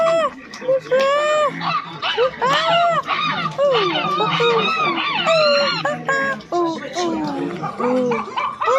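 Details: Silvery gibbon calls: overlapping arched, whooping hoots that rise and fall, given by several voices at once in a dense, continuous chorus with a busy background.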